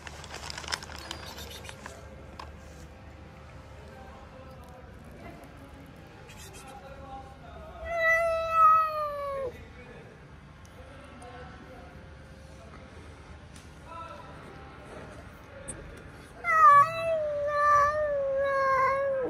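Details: Sick, hungry cat seeking affection, meowing after a long quiet stretch with a soft shushing voice: a loud, falling meow midway, then a second insistent meow that wavers and drops at the end.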